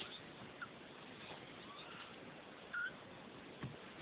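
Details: Two-week-old Neva Masquerade kittens from Litter F at the De Lourdes cattery in the Czech Republic: one short, clear, high mew near the three-second mark, with faint thin squeaks over a steady background hiss.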